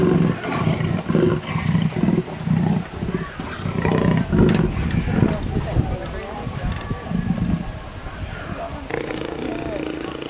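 A leopard gives deep, rasping grunts in a quick, rhythmic series, like a saw cutting wood.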